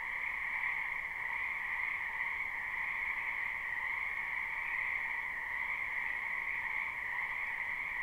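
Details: Wild frogs massed in a spring wetland, captured live with no looping, produce an unbroken, evenly loud croaking chorus with a lower and a higher sustained band; nothing else is heard.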